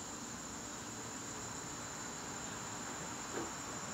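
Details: September evening in a garden with crickets trilling, a constant high, buzzy note sustained the whole time, plus a soft low murmur and one faint thump.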